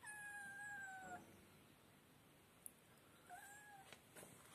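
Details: Kittens giving two clear meows, the first long and gently falling over about a second, the second shorter after a pause, with a few soft clicks and rustles between.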